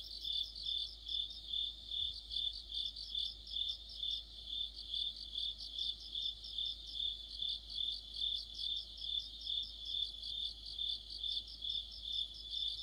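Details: Mid-autumn insect orchestra of crickets: an unbroken shrill trill rising and falling in regular pulses about two and a half times per second, joined by a denser, higher chirping voice that comes and goes.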